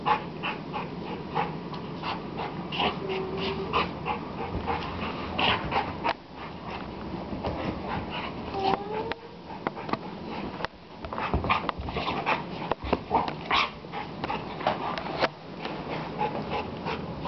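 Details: Playing dogs give brief yips and a few thin, wavering whines, with scattered scrabbling noises and a voice murmuring faintly in the background.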